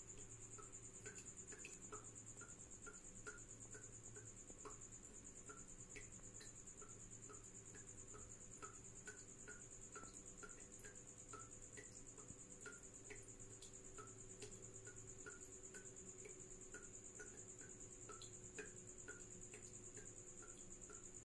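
A tropical house cricket gives a steady, high, shrill trill over a low electrical hum and scattered ticks.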